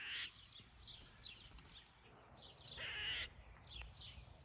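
A squirrel gives a series of harsh, raspy chattering barks, repeated several times a second.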